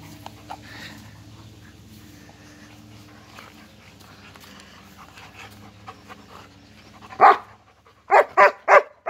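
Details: After several seconds of low background hum with faint sounds, German Shepherds break into loud barking: one bark, a short gap, then four quick barks in succession.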